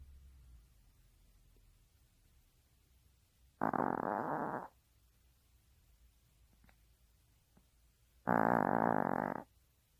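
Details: Sleeping Maltese dog's snore: two rough, droning breaths about five seconds apart, each lasting around a second, against a soft indoor background with a few tiny ticks.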